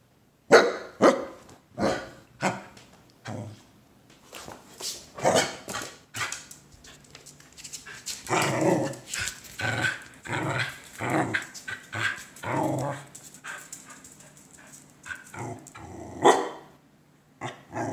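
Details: Pet dog barking excitedly during morning playtime as its owner moves slowly and strangely while staring at it; sharp broadband barks come in bursts, several in quick succession, then a louder busy stretch of barks and growly yaps.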